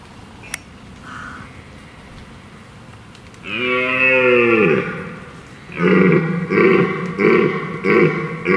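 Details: Dominant red deer stag roaring deeply during the rut to deter rival stags and impress the hinds gathered into his harem: a long, falling, booming roar, then a series of shorter rhythmic grunting roars in quick succession.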